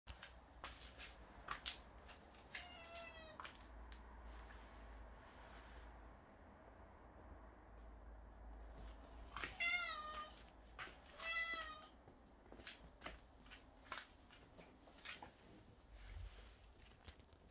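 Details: Indoor cat crying continually while wandering around a room; three drawn-out, slightly falling meows with rich harmonics, the middle two close together, amid quiet room sounds and a low hum.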